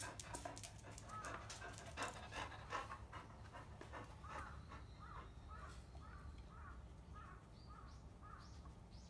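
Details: Bisuke, a field-type Labrador Retriever, mating: hurried panting fades into a series of short, soft, arched tonal whines repeated about twice per second, over a steady low hum.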